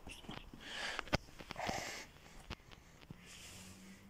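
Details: Hedgehog wandering into a vegetable garden in Russia, giving a run of breathy snorts and huffs with sharp clicking pops in the first two seconds, then quieter sniffing; a man's voice nearby.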